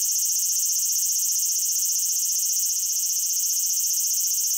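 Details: Japanese cicada producing a loud, unbroken, very high-pitched electric drone with a fine rapid trill, holding the same level throughout without pause.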